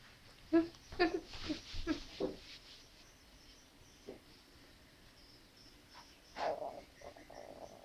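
An Angora cat gives short, harmonic meows in a quick run, calling for a mate.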